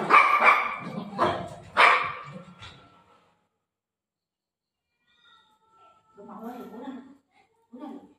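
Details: Golden retriever dog playing with its mom at home: a quick run of loud, rough barks in the first three seconds, then a pause, followed by softer voiced sounds and a woman's voice talking to the dog.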